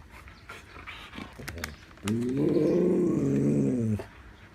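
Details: Siberian Husky talking while getting a snack, a sustained two-second moaning, wavering groan-like vocalization after some soft shuffling and clicks indoors.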